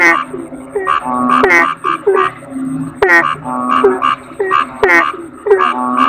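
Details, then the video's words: Asian common toad (kodok bangkong) calls stacked in a busy chorus. Short bright croaks slide downward and mix with deeper, buzzy notes, with pulses arriving in irregular clusters and a thin constant high tone behind them. "Suara Kodok Bangkong"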